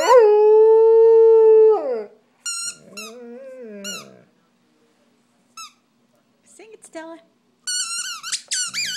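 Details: Pet dog howling with a squeaky toy, a clear two-second steady howl sliding down at the end, then a lower wavering moan among scattered high squeaks and pauses.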